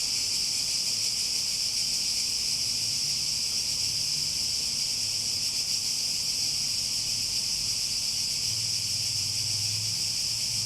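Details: Cicada chorus heard as an unbroken, bright electric-sounding buzz that never pauses, with faint low murmuring noise drifting in the background.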